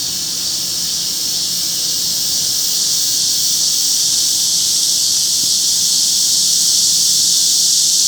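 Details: Cicadas singing alongside wart-biters at Forsythia Park in Sinsa, Seoul, Korea, around 10:50 am on 26 July 2025, announcing themselves. A dense, high, hissing buzz holds steady throughout, growing slightly louder, with no pause.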